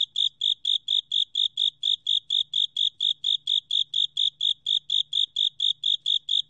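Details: Japanese burrowing cricket song made of evenly spaced, piercing high chirps, about two each second, unbroken throughout and clean against a quiet background.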